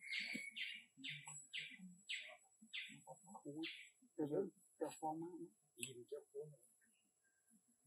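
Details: Baloo, a young abandoned monkey, uses his small voice to ask for more food: short, high squeaky chirps repeated about three times a second, then fading under a person's talking, which takes over the second half.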